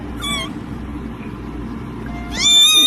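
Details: Domestic cat meowing: two short, high, harmonic-rich meows, the first brief and bending, the second louder and longer near the end, over a low steady background hum.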